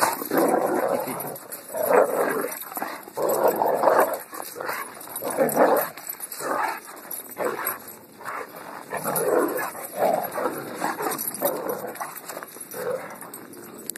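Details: Dog giving rough, mid-pitched vocal bursts, growly and whimpering in turn, repeated every one to two seconds over fourteen seconds, with a steady thin high hum throughout.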